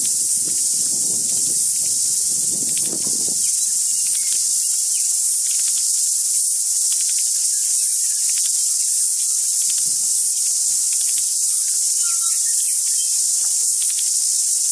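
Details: Very loud cicada song, a continuous shrill buzzing drone that never pauses, with a short low rumble near the start and scattered faint whistled notes from tuis in the background.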